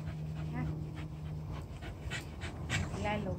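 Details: Corgi reacting to getting bathed, as it does every time: a couple of short, thin, tonal whines with a wavering pitch among breathy, panting-like bursts. A steady low hum runs underneath and a voice can be heard.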